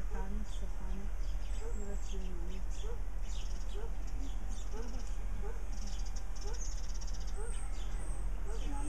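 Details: Meerkats (Suricata suricatta) giving short, mid-pitched chirps and peeps, some slightly rising, repeated several times a second in overlapping series like a group chattering, over a steady low hum.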